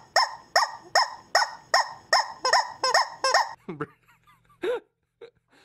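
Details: Siberian Husky letting out a quick run of about nine ringing, harmonic barks, roughly two each second and evenly spaced, then trailing off into a few thin squeaky yelps and soft whines.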